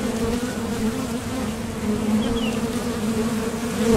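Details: A steady, even drone from honeybees at a top bar hive entrance as they leave for and return from nectar foraging, rising slightly at the end as a bee approaches; one faint bird chirp.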